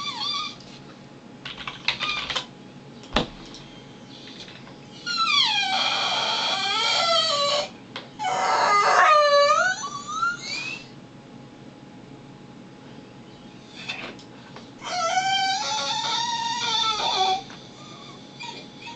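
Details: Pet dog whining indoors while its owner works from home, three bursts of high, wavering, falling whimpers and howly cries a few seconds apart, with quiet room noise and a sharp knock between them.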